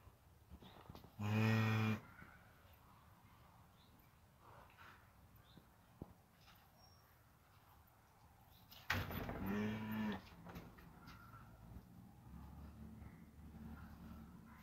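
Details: Cattle where a newborn calf is standing up for the first time: two separate moos, about eight seconds apart, each lasting roughly a second, with low rumbling noise and a few faint knocks in between.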